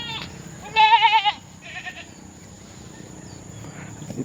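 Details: Domestic goat kept by a family, giving one loud wavering bleat lasting about half a second, with a fainter second bleat after; low rural background noise and a constant high electrical whine.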